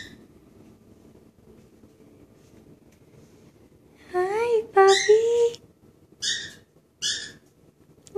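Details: A Dobermann waiting for someone gives high, wavering whines that rise and bend in pitch, then short breathy yelps.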